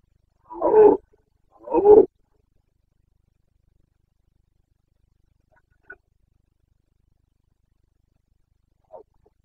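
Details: Red deer stag of the Carpathians in rut, Bucovina, Romania, 29 September 2022. Two loud, gruff roars about a second apart, followed by long silence broken only by faint distant clicks.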